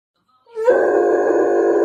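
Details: Weimaraner dog howling for attention indoors: a short rising onset then a sustained, steady tonal howl with strong stacked harmonics, loud and unbroken to the end.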